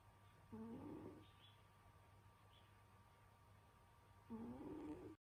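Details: Senyora Betsy, a domestic cat, snores through a winter nap. Two short, rough breaths with a slight rising tone come about four seconds apart against a quiet background hum.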